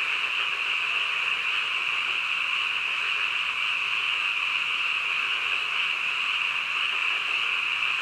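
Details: Frogs calling in the middle of the night: a dense chorus blends into one steady, high, shimmering drone that holds unbroken for the whole stretch, with no other sounds standing out.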